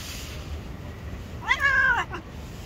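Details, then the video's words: Angry gray street cat, said to bite anyone who dares touch it, gives one short harmonic meow that bends up then slowly down for about half a second, then a faint brief second note, over a steady low rumble. "The Gray Cat is Very Angry if you dare to touch it you will be bitten."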